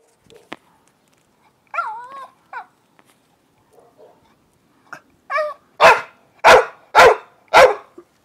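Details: In the UK, an old male Staffordshire Bull Terrier holding his stone whines, then gives four loud, sharp barks to invite a game of chase.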